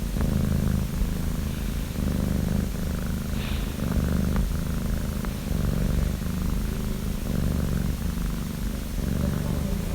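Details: A sleeping female pet cat that dozes most of the day, snoring: a low, steady rumble with rhythmic breathing pulses rising and falling about every one and a half seconds, close and continuous, no other sounds.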